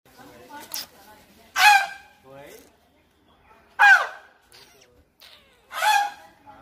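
A young elephant gives short, harsh, honking squeals, repeated a few times with quiet pauses between.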